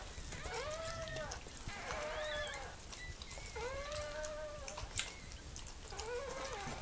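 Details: Mirella, a female Miniature Pinscher, whimpering while giving birth to puppies: four clear, arched, tonal whines, each about a second long, repeating roughly every one and a half seconds over faint background rustle.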